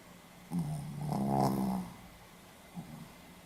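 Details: Sleeping Pomeranian dog snoring indoors in Hiroshima, recorded 4 November 2015: one long harmonic, buzzy snore over about a second, followed by a soft short snort, in a quiet room.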